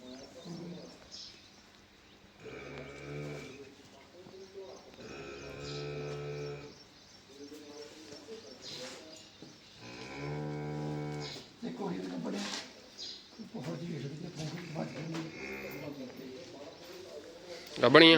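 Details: Cattle on a farm on the day three animals passed their pregnancy checks: several drawn-out, harmonic moos, each about a second long, with people talking throughout.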